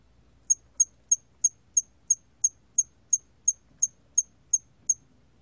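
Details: A hairy cricket gives a regular series of brief, piercing high chirps, roughly three each second, evenly spaced and equally loud, with only faint low rumble beneath.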